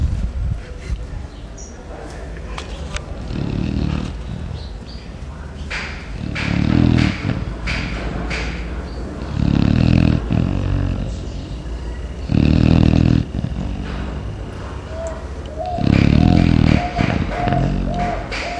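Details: Chow Chow dog sleeping deeply in the morning, snoring like a person: deep, rumbling low snores about every three seconds, with a soft rhythmic cooing of a dove near the end and faint background noise.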